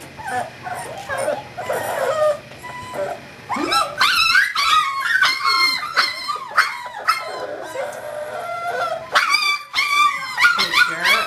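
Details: Kahlua, a five-week-old English Springer Spaniel puppy from Star's fourth litter, born 5 December 2011 and recorded 14 January 2012, gives high whining yelps. Soft cries give way to a rapid burst of sharp, overlapping squeals with falling pitch.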